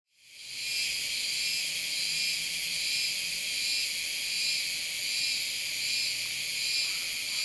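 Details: Euterpnosia laii, a cicada of Taiwan, singing: a continuous high, hissing buzz with stacked bands, swelling and fading gently about every second and a half, starting abruptly and holding steady without pause.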